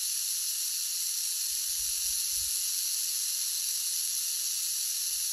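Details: Rock python giving a long steady breathy hiss, unbroken and even in loudness throughout, with faint low thumps beneath.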